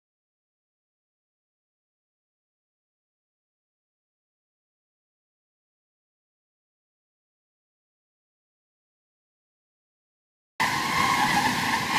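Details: Near silence for about ten seconds, then a sudden burst of broad, hissing noise at the very end.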